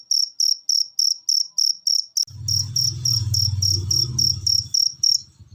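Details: Cricket chirping played as masteran training audio to get cage birds singing; shrill chirps pulse rapidly and evenly, while a low rumbling noise enters midway and continues beneath them.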